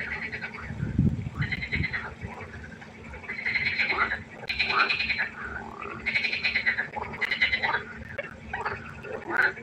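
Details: Nighttime pond frog chorus, many frogs croaking at once; bright, nasal, buzzy calls come in bursts of about a second, some rising or falling, with a short low thudding noise near the start.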